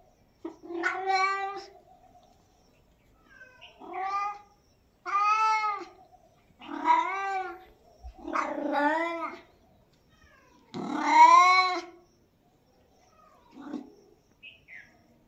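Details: Domestic cat giving six drawn-out, harmonic meows spaced one to two seconds apart, the fifth loudest and most wailing, followed by two faint short mews near the end; quiet room, no other sounds.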